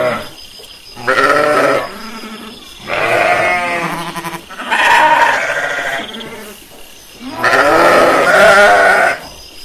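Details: Pastured sheep calling in a series of four drawn-out, tremulous bleats spaced roughly two seconds apart, with quieter murmuring between them.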